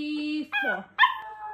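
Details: Pomeranian dog named Cookie reacting indoors to his owner's home workout: two abrupt, high, whiny barks with a falling tail, following a steady tone and a soft human voice.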